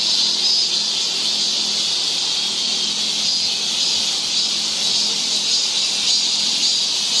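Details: Cicadas singing along a summer forest trail in Seoul, Korea: a loud, steady, hissing high-pitched drone that fills the air without pause, with a faint low hum underneath.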